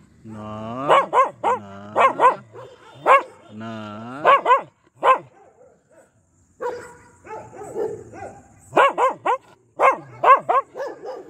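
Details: Pomeranian in an aggressive mood, mixing drawn-out whiny howling yelps with quick sharp barks, a quiet gap midway, then renewed rapid barking runs.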